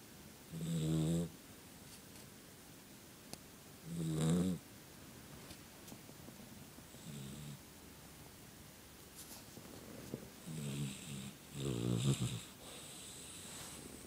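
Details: Dog snoring in its sleep, giving low, rasping, harmonic snores every three seconds or so, five in all, some louder than others, over a faint steady room hiss.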